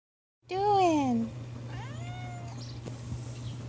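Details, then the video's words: Male cat rolling in fresh dirt in the morning, giving a loud arching meow followed by a softer rising-falling one, over a steady low hum, with a person speaking afterwards. "Talking cat"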